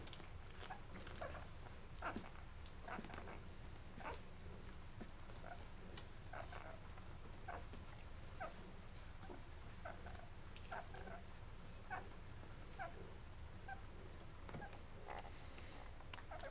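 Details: Eleven-day-old Labrador Retriever puppies from Mocha's litter nurse until full, then crawl off to sleep indoors. Soft, scattered squeaks and faint whimpers sit among a busy stream of quick smacking, suckling clicks over a low steady hum.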